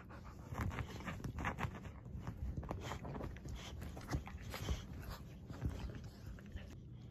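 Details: Bella, a female dog abandoned and tied to a trash can outside a gas station for over 9 hours, later rescued and adopted, panting steadily. Soft, rapid, breathy bursts repeat throughout over a low rumbling background.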